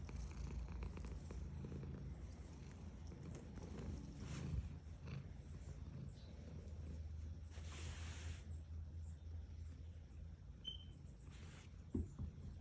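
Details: Female domestic cat purring under petting: a long, deep rumbling purr rising and falling with her breathing, broken by swishing strokes of the hand, a brief squeak and a sharp tap near the end.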